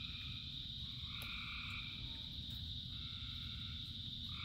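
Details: Frogs calling in rain, thousands in chorus: a steady high trilling band with sustained droning layers that swell and fade, over a constant low rumble of rainfall.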